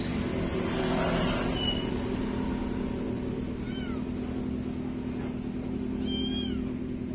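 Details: Young kittens after a bath give a few faint, short, arching meows, widely spaced, against a constant low humming background.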